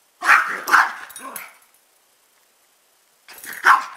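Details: Pet dogs, a chihuahua/pug mix and a rat terrier/pitbull/jack russell/beagle mix, giving two sharp barks and a softer third, then silence before another bark.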